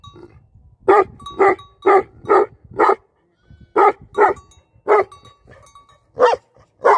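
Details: Livestock guardian dogs bark in short bursts of three to five harsh, deep barks, separated by brief gaps, with single barks toward the end.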